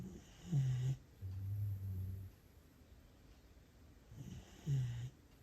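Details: Siberian Husky puppy in Japan, fast asleep after enjoying a walk, snoring heartily: deep, low rumbling snores with a breathy rasp, two loud snorts about four seconds apart and a softer drawn breath between them.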